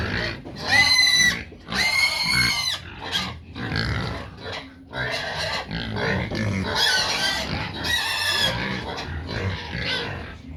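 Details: A noisy group of pigs calling out for their feed, giving loud, shrill, banded squeals, each about half a second long, with rough grunts and continuous overlapping squealing between them throughout.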